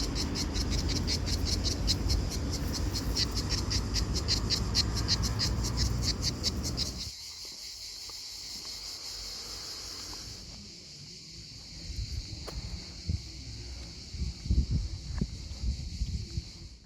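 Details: A cicada in Italy on a hot summer day of about 40°C gives a loud, high, pulsing buzz that steadies into a continuous drone.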